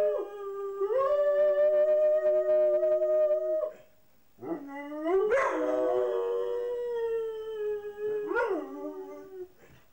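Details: Mouse and Fox, two domestic dogs left by themselves while the owners are at the shops, howl on a Hi8 camera recording; a steady held note, a brief pause, then yipping rises into a wavering, falling howl.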